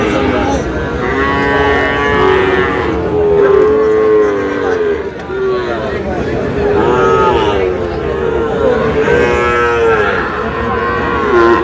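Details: Six-month-old Sahiwal bull calf at a Munshiganj cattle market in Bangladesh, 11 August. Long, wavering lowing calls come again and again, several swelling and fading in sequence, set against busy market chatter and haggling over the price.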